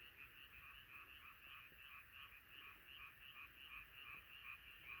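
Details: Night chorus of many frogs singing together: rapid, evenly pulsed croaking about three times a second, overlapping voices blending into a continuous throbbing texture.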